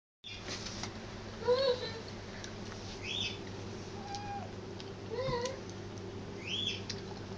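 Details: Black cat, chewing a cat food tin while a Persian cat gets the attention, gives several short, thin meows spaced a second or two apart over a steady low hum, with faint tapping sounds.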